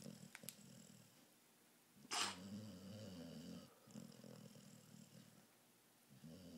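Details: A female American Pit Bull Terrier lies awake and gives low, throaty snoring rumbles, broken by a sharp broadband knock near the middle and followed by softer wheezy breaths.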